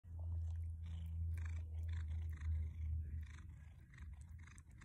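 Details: A 13-year-old domestic cat purrs in a steady low rumble while eating broccoli, mixed with crisp crunching sounds of chewing.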